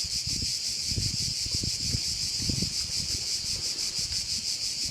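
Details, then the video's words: Crickets heard over a bay on Korčula: a steady, dense high-pitched buzzing with a fast pulsing shimmer runs without pause, while soft low gusts of wind thump underneath. "Korčula - view of one of the bays in Korcula with sounds of crickets"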